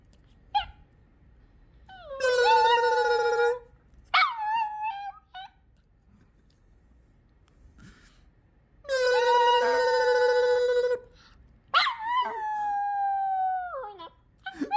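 A Yorkshire Terrier gives drawn-out, wavering yowls and whiny howls with quick yips between them.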